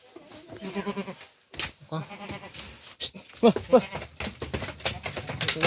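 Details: Pet goats being let out by their keeper give quavering, stuttered bleats in two bursts early on, while a man talks in Filipino amid shuffling and knocking.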